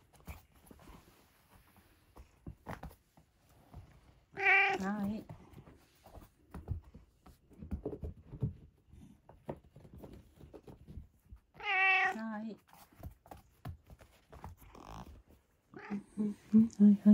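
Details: Domestic cat at dinnertime indoors, giving two loud, drawn-out harmonic meows about seven seconds apart, with a softer call near the end, while a person talks quietly in a small room between the calls.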